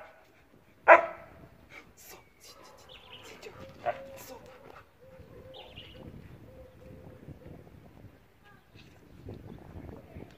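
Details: Siberian Husky under training gives one loud, abrupt bark early on, then a second shorter bark, followed by a long, steady, thin whining tone and rustling, with spoken training commands around it.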